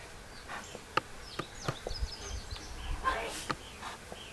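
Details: Honeybees at a large beehive being opened and split so the colonies raise their own queens; a steady low buzzing hum of many bees under sharp clicks and knocks of handling, with brief rustling.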